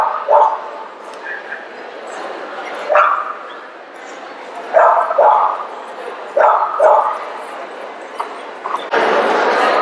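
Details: Italian Greyhound giving short, yelping barks, single or in quick pairs, separated by pauses of one to two seconds, ending in a burst of broad noise.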